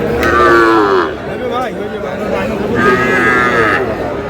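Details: Sahiwal bull calves, about four to five months old, at Aftabganj cattle market in Dinajpur, Bangladesh, on 25 July: two drawn-out bellowing moos about two seconds apart amid loud crowd chatter and bargaining voices.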